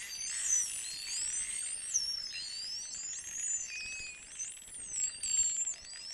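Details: A pod of about a hundred false killer whales (Pseudorca crassidens) hunting a few miles off Vila Franca do Campo, São Miguel, Azores. Many high, sweeping whistles rise, fall and overlap.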